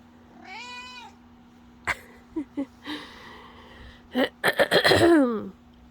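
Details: Black domestic cat meowing indoors: a clear drawn-out meow at the start, then several short chirping mews mixed with a person's cooing voice, laughter and a cough, ending in a falling mew.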